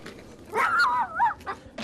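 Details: A dog on a walk, overexcited at the sight of other dogs, lets out a high, wavering, dolphin-like scream rather than a bark.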